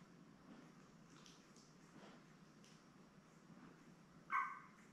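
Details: Newborn Labrador Retriever puppies, a litter of seven born May 24, 2021, with their mother Belle. A quiet room hum, then near the end one short, bright, harmonic squeal or whimper rising sharply above the background before fading.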